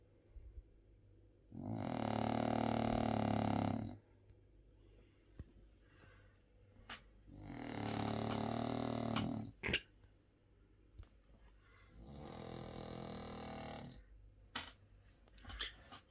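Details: Bob the French Bulldog asleep at nap time, producing three loud, harsh, buzzing snores of about two seconds each, separated by quiet pauses with a few small clicks.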